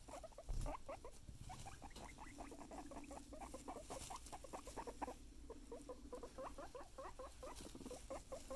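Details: Guinea pig making rapid, repeated short chirring notes, many per second, in long runs broken by brief pauses, with a low rumbling hum underneath and steady background noise.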